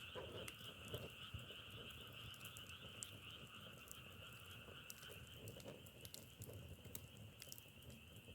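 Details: Frogs calling in a dense, continuous chorus, a steady double-toned droning trill with low rumbling beneath, while sharp crackles and snaps of burning firewood pop irregularly throughout.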